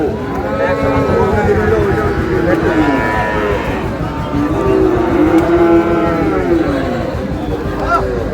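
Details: At a Chittagong cattle market in Bangladesh, Sahiwal bull calves on sale: long, arching moos that rise and fall, two main calls with a softer one at the end, set against steady market chatter and traffic noise.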